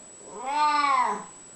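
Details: Elderly domestic cat, unwell, coming around to chat with its owner; one sustained, arched meow swelling then fading over about a second, followed by a soft click, in a quiet indoor room.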